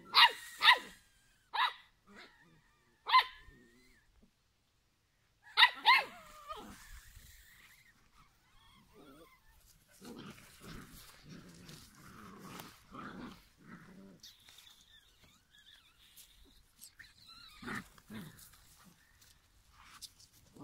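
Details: Five-week-old giant schnauzer puppies: a few sharp high yaps at the start, a pause, then softer scattered growls and grumbling with a faint whine late on.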